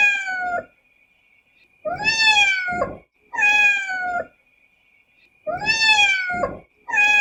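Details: Cat or kitten giving loud, tonal mews, some alone and some doubled, each sliding slightly downward, spaced a second or two apart, over a faint steady electronic whine.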